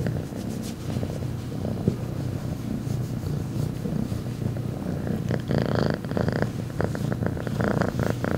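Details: Rambo, a female cat, gives a mega loud purr, a continuous low rumble with rhythmic pulses, joined later by soft rustling and scratchy higher noise.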